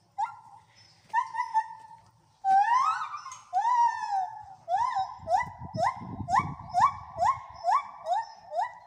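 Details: Gibbons at a rescue sanctuary for apes and monkeys in Wales, several singing together: loud whoops rising and falling, then quickening into a series of short upswept notes repeated about twice a second, with a low rumbling noise beneath.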